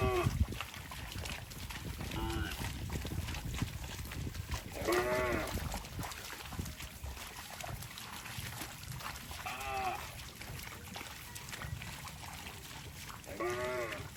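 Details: Cows walking through water in rice fields, giving short arched, nasal moos about every four seconds, four calls in all, over steady splashing and rumbling background noise.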